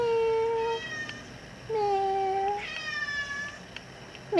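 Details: Furbaby, a formerly abandoned female cat now kept indoors in an apartment, meows while asking to go outside; two long, steady, tonal meows followed by a shorter, fainter one, in a quiet small room.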